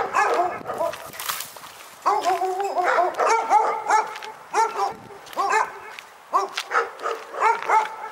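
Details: Pyrga dog in a barking nightmare: tight strings of tonal barks with some drawn-out, whining notes, a brief hissing burst early on, and irregular pauses between volleys.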